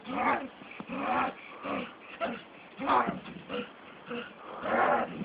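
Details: Staffordshire Bull Terrier out on a walk makes a series of throaty, moaning, growl-like utterances, about six rough bursts with short pauses between them.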